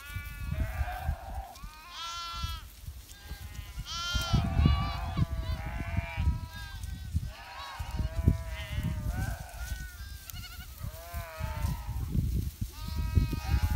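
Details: Winter flock of sheep tended by a shepherd in the Himalaya, dense chorus of overlapping tremulous bleats from many animals, rising and falling, over continuous low rumble.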